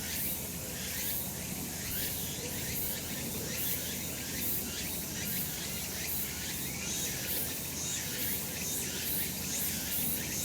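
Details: Summer mountain cicadas in the sun, a continuous shrill buzzing chorus pulsing in quick regular waves, about one surge per second, with a steady low background murmur.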